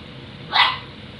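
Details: Female puppy indoors barking at a water dispenser she is supposed to drink from; one sharp, loud bark, bright and high, standing out against quiet room noise.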